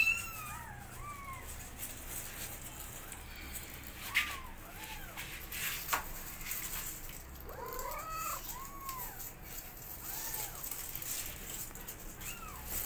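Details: Kittens meowing loudly as their mother cat teaches them to walk; thin, high, arching meows rise and fall, coming singly and in quick clusters of two or three, over a soft steady background hiss.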